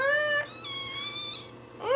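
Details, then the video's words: Newborn Shih Tzu puppy wailing: a rising cry, then a long high harmonic-rich note, and a final upswept squeal, indoors with faint hum. "Crying puppy newborn shih tzu"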